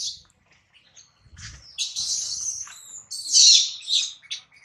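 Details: Crying of baby monkey Adler, hungry and missing his mom while a small monkey holds him: loud, piercing high screeches in drawn-out bursts, the strongest near the end, with brief low thuds.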